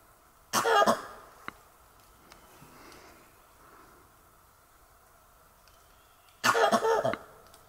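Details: Langur in Kanha National Park, March 2024, giving alarm calls after seeing a tiger, alerting other animals: two harsh, broadband coughing barks about six seconds apart, each a short burst of rapid pulses, over quiet forest background.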